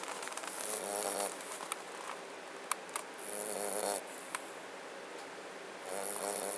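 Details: Mastiff/Boxer mix puppy snoring: breathy, hissing bursts lasting about a second each, coming roughly every two and a half seconds with a thin whistly edge, a few soft clicks between breaths over quiet room hiss.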